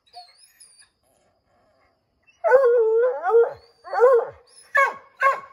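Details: Redbone Coonhounds treeing a chipmunk in an oak tree, baying to drive it out: after a quiet start with faint bird chirps, a long wavering howl, then shorter yelping barks and bays in quick succession.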